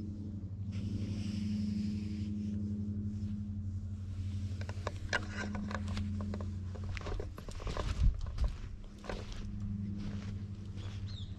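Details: Ginger stray cat at a cat shrine parking lot in Japan purring while being stroked, captured on a GoPro HERO8: low throbbing purr beneath frequent rustling, fur-rubbing and handling noises, with a louder thump around eight seconds.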